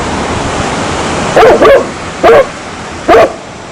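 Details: A dog gives four short, loud barks, the first two close together, then two more spaced about a second apart, above a low constant background hiss.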